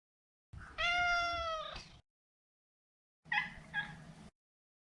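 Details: A long, level meow from Maro, a neutered male Maine Coon house cat. The end bends slightly upward, and after a short silence comes a briefer, broken, two-part mew.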